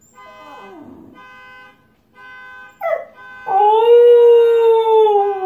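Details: Husky reacting to a car alarm: a faint falling whine and a brief yelp give way to a loud, long, level howl held for two seconds, over the steady stacked electronic tones of the alarm.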